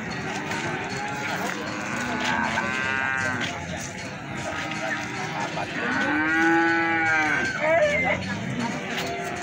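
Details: Cattle at Plaosan market in Magetan, Indonesia, young feeder bulls sold there; two long harmonic moos, one near the start and a louder arched one around six seconds, over a busy market din.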